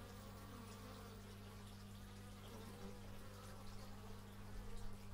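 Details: Bees humming steadily, recorded with an x/y stereo microphone; a thick low drone overlaid by wavering buzzes that grow a little louder toward the end.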